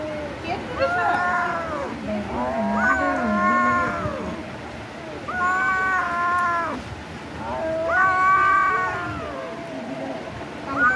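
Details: A kitten meows while eating raw chicken: four long, wavering, harmonic mews that arch up and down in pitch, with lower murmuring voices and faint music underneath.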